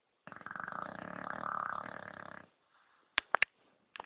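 An English bulldog gives a long, rattling, fluttering snore while asleep, followed by a few soft clicks.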